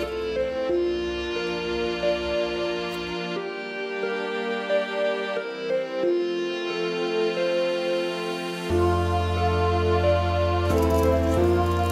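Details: Slow, sad instrumental music with sustained string tones and a low bass entering later, with no animal voices.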